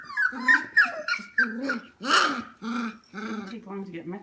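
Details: Young F1 Goldendoodle puppies, 25 days old, indoors late at night around 11 pm. They give choppy, harmonic whimpers and low growly grumbles in short bursts about every half second, with one breathy, noisy squeal in the middle.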